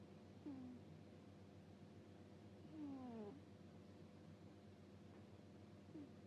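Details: Sleeping pet cat snoring indoors with a soft "puu puu" sound: short, low, whistled nasal notes that slide downward, one early, a longer pair near the middle and a faint last one, over a steady low room hum.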